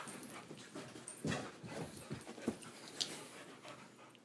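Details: Female puppy Hominy, still lively at bedtime, breathes in quick irregular pants about twice a second. There are brief sharp huffs and a faint high whine in the middle.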